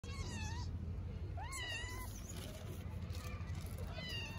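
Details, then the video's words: Hungry orphaned stray kitten in Istanbul, Turkey, meowing: a few thin, high, harmonic meows with rising then falling pitch, spaced irregularly, over steady low background rumble. "orphaned kitten meows for a long time because it is very hungry"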